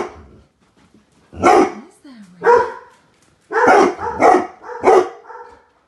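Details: Weimaraners reacting to a 12 ft Halloween skeleton prop outside the window give a series of loud, deep, gruff barks, spaced roughly a second apart.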